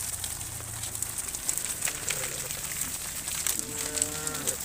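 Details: Tame cow in a herd wandering along the road home to the barn; a single drawn-out, rich harmonic moo arrives near the end over steady outdoor hiss and a constant high buzzing background.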